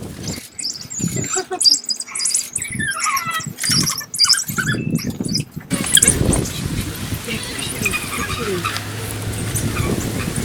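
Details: African wild dogs trade high, bird-like squeaks and twitters as the pack greets after waking, before the evening hunt.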